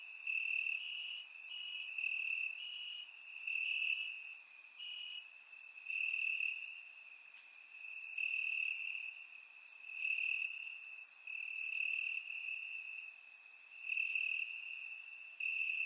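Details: Several crickets chirp in grass on a warm summer night in Bulgaria, recorded in surround sound; an unbroken high ringing trill carries short repeated pulses, with brighter clicks and chirps from other insects overlaid.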